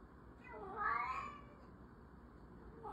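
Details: Single drawn-out meow from an orange cat, rising then falling in pitch over about a second, followed by quiet room tone and the start of another call.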